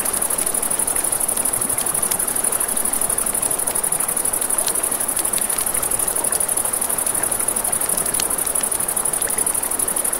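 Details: Nighttime crickets beside a river give a continuous high, pulsing trill, while water rushes underneath and a campfire snaps with frequent sharp crackles.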